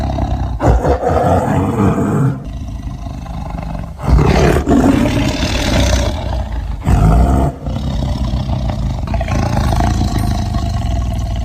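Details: Tiger looking for prey, producing a series of deep, rough rumbling roars with short breaks between bursts, mostly low-pitched growling throughout.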